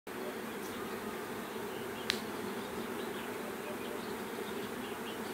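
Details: Swarming bees giving a dense, continuous droning hum that stays even in loudness throughout, broken only by one sharp click partway through.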